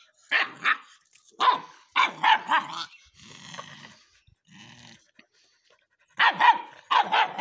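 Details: Rottweiler; bark; barking on command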